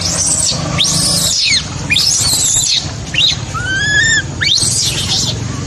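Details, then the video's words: Abandoned baby macaque screaming heartbreakingly: long harsh, noisy shrieks that arch up and fall, about one every second, broken by a single clear whistled wail, with a constant low background hum. "Poor baby monkey was abandoned by mother monkey, crying heartbreakingly"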